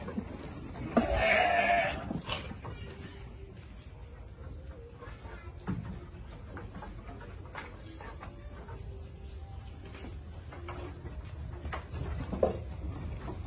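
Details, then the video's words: Boer goat on a farm letting out one short bleat near the start, followed by quiet background with faint voices. "Boer Goat"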